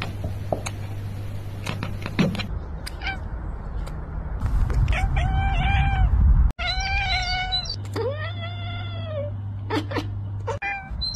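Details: Domestic cat chattering, or chirping, in a few short bursts: bright, harmonic chirps with a slight upward bend, clustered around the middle and later part, with scattered clicks and a low background hum between them.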